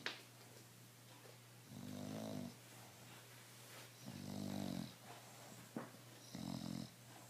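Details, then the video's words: Bulldog Emma sleeping calmly and unstressed: three throaty, vibrating snores, each lasting under a second and spaced roughly two seconds apart, with a soft click and a steady background hum in a small room. "Emma mi bulldog roncando y sin estress"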